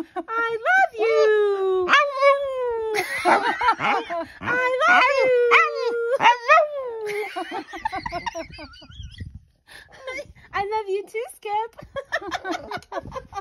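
A Boston Terrier makes drawn-out, wavering howl-like moans that sound like it is trying to talk.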